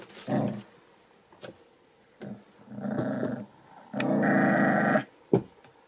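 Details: Seven American Bully puppies, born December 8, 2019, make short rough growling grunts indoors. Bursts of varying length come in irregular bouts, the longest lasting about a second, with small thumps between them.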